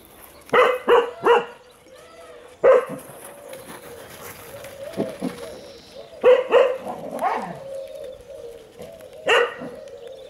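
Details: Storm, a Welsh Springer Spaniel, plays with other dogs in a garden on 23 April 2018. Bursts of two or three loud barks recur every few seconds, with quieter whining yelps and a brief human voice between them.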